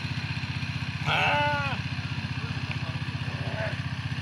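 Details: Goat from Saudi Arabia giving one loud, wavering, harmonic bleat lasting under a second, followed later by a fainter short bleat, over a steady throbbing engine rumble.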